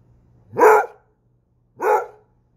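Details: Basset Hound barking, two deep, full-throated barks about 1.3 seconds apart, each short and loud with a quick rise, in a quiet room with a faint low hum.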